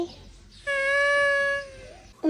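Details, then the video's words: Pet domestic cat making an unusual vocalisation: a single steady, flat, tonal cry with rich overtones, held for about one second without rising or falling, with quiet room noise around it. "Just how cute are the strange sounds cats make?"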